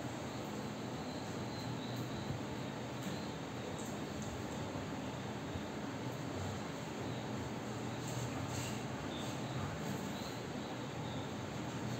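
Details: Continuous rumbling, train-like vehicle noise with a broad hiss and a few faint clanks runs throughout, with no animal sound.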